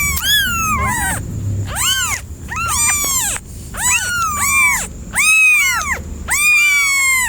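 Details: Cat giving a rapid run of arched, harmonic meows that rise then fall, several overlapping as if more than one voice, about one call per second, with a steady faint high tone throughout.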